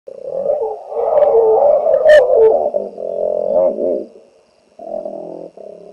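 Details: Wild territorial hippopotamus confronting a trespassing hippo on the banks of the Olifants River, greater Kruger National Park: a loud, drawn-out, throaty braying and wheezing call lasting about four seconds, followed by a shorter rough grunt.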